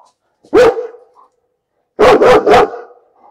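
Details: Barking dog: a single loud bark, a second of quiet, then three barks in fast succession. Nothing else is heard.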